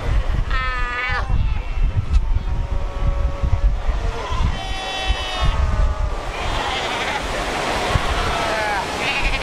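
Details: Crowded colony of Cape fur seals, over 100,000 strong, at Cape Cross on the Skeleton Coast; several loud, wobbling bleats in turn, some high and nasal, others lower, over pounding surf and wind.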